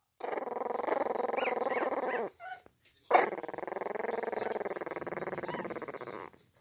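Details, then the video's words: Puppy attempting to growl: two long, steady, raspy growls, each a couple of seconds, separated by a short gap with a faint squeak, in a quiet room. "puppies growling"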